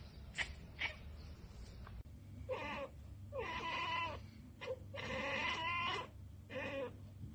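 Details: Pet cat chattering after spotting a bird or insect it cannot get to: a few faint clicks, then a run of voiced, wavering, bleat-like chirps of rising and falling pitch, one long and stuttering, over a steady low hum.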